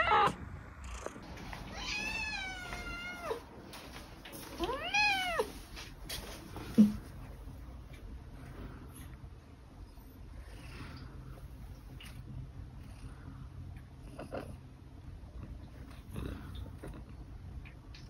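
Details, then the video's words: Scottish Fold cat meowing for food: a wavering, bending meow near the start and a second shorter rising-falling meow around five seconds, followed by a sharp knock, then quiet room noise with faint rustles. "Scottish fold cat is asking for food"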